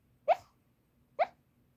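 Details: Puu-chan, a Toy Poodle, sleep-talking loudly while asleep on 24 September 2024, voice coming from the belly: two short, sharp yelping sounds with rich harmonics about a second apart, over quiet indoor background.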